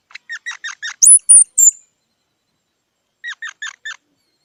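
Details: A squirrel's run of five squeaky notes leads into three very high, thin whistled notes. After a silent gap, four softer squeaks follow.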